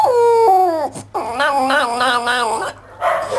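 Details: Talking Maltese dog, six months in British quarantine, voicing "Nam" (yes in Arabic): a short falling whine, a pause, then a long harmonic moan wavering up and down four or five times before trailing off.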